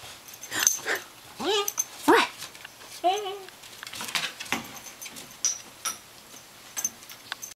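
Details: Family's new dog, a puppy about nine weeks old named Levi, indoors in a small room: several short, high, arching whimpers near two seconds and three seconds, with people talking around him and light rustling.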